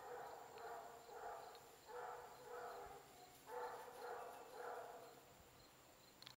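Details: Stray-turned-shelter Basset Hound Clarence, available for adoption, keeps up a near-continuous string of deep, resonant bays, about six pulses in six seconds, with steady background noise throughout.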